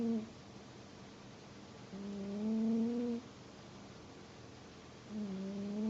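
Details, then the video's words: Pet cat snoring quietly indoors: two long droning breaths with a low harmonic tone, each lasting about a second and a half, separated by quiet pauses. "my cat snores.....!"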